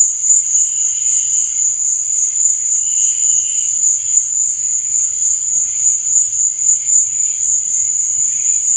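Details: Cricket chirping at night: a steady, unbroken high-pitched trill that holds one bright tone throughout, with faint softer tones drifting beneath it.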